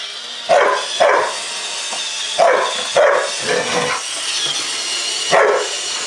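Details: A Samoyed named Wonder facing off against a Roomba cleaner gives six short, punchy barks, some in quick pairs, spread over six seconds against the vacuum's continuous whirring noise.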